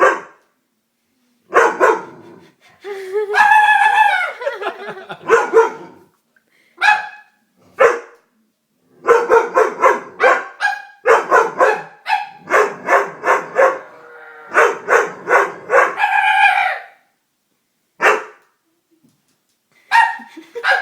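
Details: Doberman scared by a prank barks over and over in long clustered volleys, some barks drawn out and strained, others short and sharp, with brief gaps of silence throughout.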